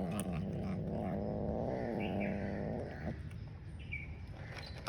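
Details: Grey and white domestic cat eating and giving a warning sound to another cat lurking close by; one long, low, wavering growl-moan of about three seconds, then quieter clicking and eating noises.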